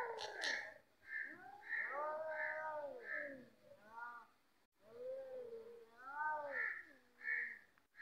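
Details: Fighting cats trade long, drawn-out moaning yowls that rise and fall in pitch, overlapping in low wails and sharper higher cries, with a short break midway.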